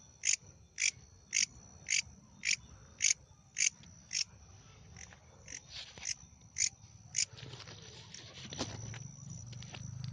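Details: Night-calling insect giving a high, sharp chirp repeated about every half second, a dozen strong pulses that fade into fainter, irregular chirps over a steady high hum, with low rumbling background noise.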